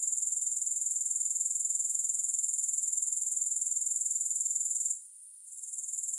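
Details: Grasshoppers calling with no music: a continuous high, buzzy pulsing trill that holds steady, then briefly drops out near the end before resuming more faintly.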